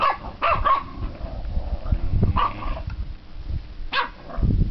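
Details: Seven-week-old Staffordshire Bull Terrier puppies: brief bright yelps in separate bursts over low rumbling and handling noise.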